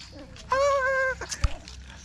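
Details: Poodle birth of seven puppies of identical color: one drawn-out, steady tonal whine lasting about two-thirds of a second, rich in harmonics. A short click and faint background murmur follow.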